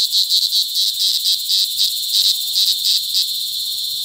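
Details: Loud mating calls of cicadas in cicada season, La Carlota City, Negros Occidental, July 2020: a high droning whine broken by quick rhythmic pulses, roughly four per second, over a constant buzz.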